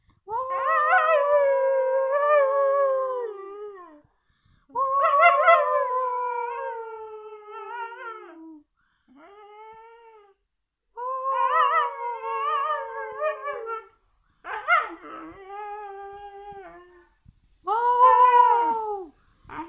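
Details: Pet Siberian Husky giving a series of wavering howls, each a few seconds long, rising then sagging in pitch, separated by short pauses and a brief whimper near the end.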